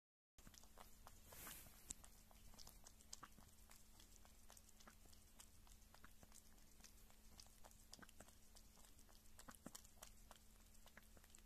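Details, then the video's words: Close-up indoor recording of a pet kitten eating meat and lapping milk: a quick, fairly regular train of soft wet clicks continues for about eleven seconds, with a brief rustle early on and a constant faint low hum. "Small Kitty Sounds Kitten Eating Meat & Drinking Milk"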